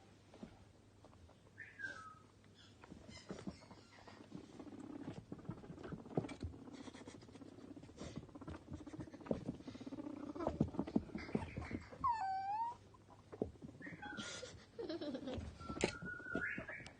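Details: Two pet male guinea pigs, Toffee and Fudge, playing, popcorning and eating carrot stick snacks; a steady low pulsing murmur with scattered short whistled squeaks, one swooping squeal near the end, amid frequent rustling and clicks.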